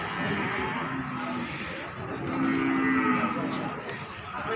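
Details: Cattle being unloaded from a truck at Margorejo market, Pati, 13 May 2020, giving one sustained low moo near the middle against a busy market background.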